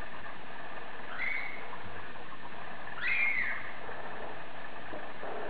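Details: A female Bengal cat gives two short, high meows a couple of seconds apart over a low background rumble; Bengal cat.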